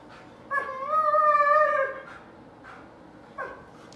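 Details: An Alaskan Malamute, vocalising in exchange with a German Shepherd, lets out a sustained, slightly wavering howl over a second long, rich and mid-range, followed after short pauses by two brief, clipped yips.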